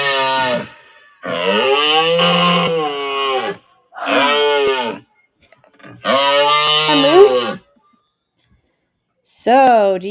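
A moose gives long, drawn-out nasal moans, each lasting a couple of seconds with brief pauses between.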